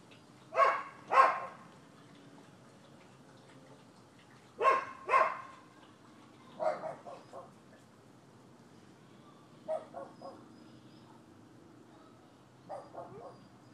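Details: Neighbors' dogs barking at a property in Florida, recorded 12/7/15: sharp barks in quick pairs, then a pause of a few seconds before the next pair, with later barks softer and more broken.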